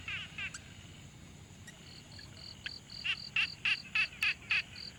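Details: Pond frogs recorded with a Tascam Portacapture X6 in quiet surroundings: a few scattered rattles, then high clear tonal notes alternating with louder pulsed, rattling calls, about three per second.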